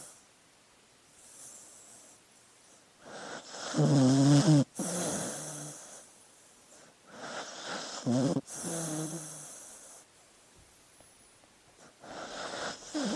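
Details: Snoring from a sleeping dog: rasping, throaty snores with a low buzzing tone, two louder bursts around four and eight seconds, between softer airy breaths.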